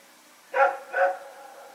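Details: Night barking from a dog roaming with a companion dog, recorded 21 September 2018: a pair of loud, hoarse barks in quick succession over a quiet background.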